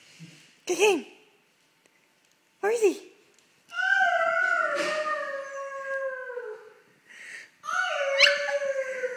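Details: Dog indoors barking and howling at a person: two short, sharp barks a couple of seconds apart, then a long, wavering howl that slowly sinks, a brief break and a second howl, with people talking quietly.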